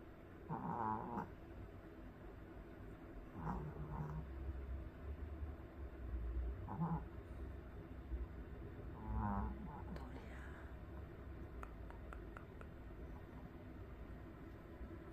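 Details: A sleeping Pomeranian dog in Korea snoring: low rumbling snores about every three seconds, each a rough buzzy breath, with soft clicking sounds toward the end.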